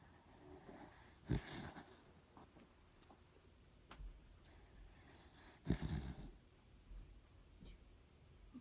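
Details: Dachshund snoring indoors in a small room: two loud, low, rasping snores about four seconds apart, each with a rough noisy tail, over quiet breathing between them.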